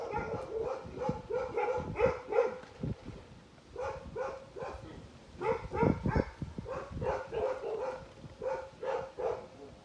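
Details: Tibetan Mastiff, the bhote kukur, at a kennel in Okhaldhunga, giving rapid, tonal, harmonic barks or yelps in uneven bursts of several calls, with short pauses between runs and some low background noise.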